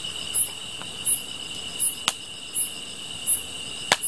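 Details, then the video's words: Grass insects heard while watching a fire: sharp, high chirps spaced under a second apart over a constant ringing insect drone, interrupted by two crisp cracking snaps. "풀벌레 소리"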